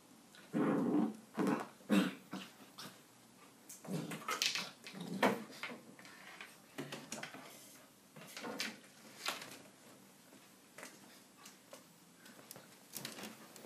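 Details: Nine-week-old Labrador Retriever puppy at play indoors, giving short rough growls and whimpering yips in bursts, loudest in the first few seconds, with scuffling and thumping from the play between calls.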